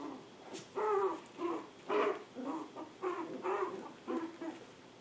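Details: Poodle puppies aged seven weeks, Honey and Emma, lively and playful; a run of about seven short, harmonic puppy yaps and barks, roughly one each half second, with quiet room background.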